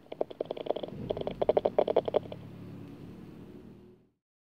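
Bat calls made audible by a detector come through as a rapid run of dry, popping clicks.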